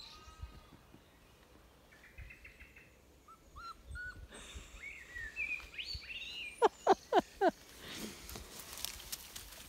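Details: Puppies in overgrown spring woodland undergrowth in County Kilkenny, Ireland, on 15 April, give a quick run of high, falling whines, worried because they cannot find their people while hearing their voices, with birdsong around them.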